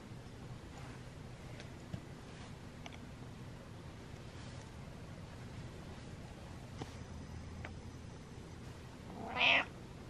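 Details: Butters, a pet cat, gives one short, rising-then-falling meow near the end, after a long stretch of quiet indoor room hum with faint soft clicks.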